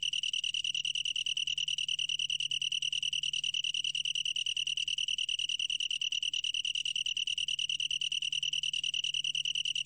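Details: A long-tailed tree cricket trills nonstop in this 2020 recording, a clear, high, metallic tone beaten into quick regular pulses, with no other sounds.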